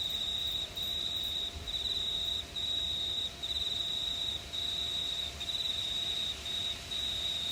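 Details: Crickets chirping on a warm summer night in a quiet regional town of New South Wales, Australia; steady, high, ringing trills in long bursts separated by brief pauses.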